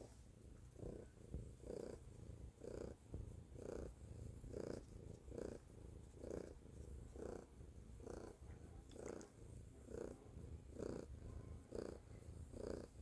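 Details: Pet cat purring loudly in a small room: deep, rough rumble rising and falling in rhythmic pulses roughly every second, continuous and even throughout.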